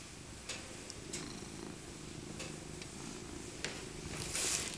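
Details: Old tabby cat Maca purrs as she is cuddled, her winter coat soft; a soft low rumble runs under brief rustles and a few sharp clicks.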